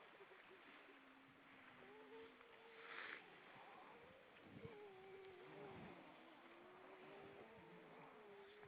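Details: Many grey seals above the water on Vilsandi, Estonia, on 25 September 2012 at 19:33, giving long wavering moans. The drawn-out wails overlap and rise and fall in turn, set against a constant hiss of water and wind.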